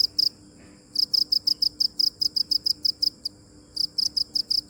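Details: Cricket chirping in uneven bursts of high, quick pulses, with silent gaps after the first pulse and near the end; quiet background with a faint low hum.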